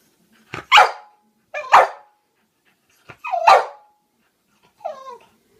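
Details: A French bulldog frightened of clowns lets out four hoarse, throaty, irregular barks spaced a second or more apart, the last bending downward into a softer, whining yelp.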